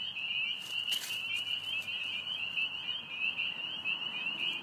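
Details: A dense chorus of spring peepers at a vernal pool in Brecksville Reservation, many high, piercing peeps overlapping into a steady shrill ring, with a few wood frogs and a whining dog.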